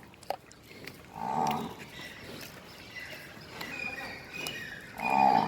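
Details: Nili-Ravi buffalo on a dairy farm in Multan, Pakistan, giving two short nasal bellows about four seconds apart, each roughly half a second long, amid light background noise and clicks.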